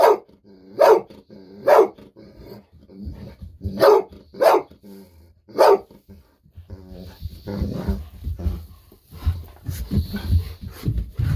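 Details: Eager Golden Retriever Bis barks repeatedly for treats; part of nearly ten minutes of nonstop barking. Six strong barks in the first half, irregularly spaced, then rumbling handling noise and movement.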